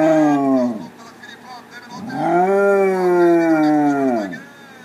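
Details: A Basset Hound howls along to Spanish soccer goal calls, letting out two drawn-out howls that rise, hold a rich wavering tone, then slide down as they fade, with a faint human voice between them.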